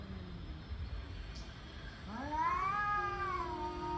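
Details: Male cats, angry and building toward a fight, let out a tense caterwaul. After a quiet, low start, one drawn-out yowl rises sharply and then sustains with a wavering, nasal tone to the end.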